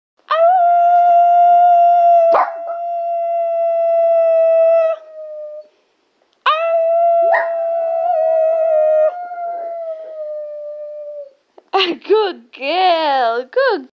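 A Lhasa Apso howls twice, each a sustained, even tone held for several seconds with a slight sag at the end. It finishes with short, warbling, up-and-down yodels.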